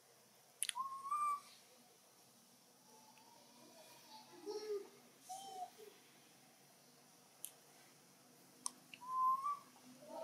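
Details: A baby macaque in Siem Reap Province cries with its loudest thin, whistled wails, calling to its mother for help because another young monkey is playing too roughly.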